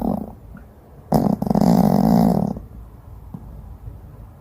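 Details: Sleeping dog snoring: one long, low, buzzy rasp lasting about a second and a half, with a harsh onset, followed by quiet breathing and faint room noise.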